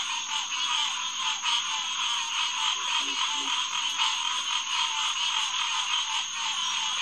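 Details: Green tree frog (Hyla cinerea) chorus at a pond beside a boardwalk at SMNWR, June 2, 2021, at 9:10 pm. Continuous overlapping calls, with a short run of low grunts near the third second.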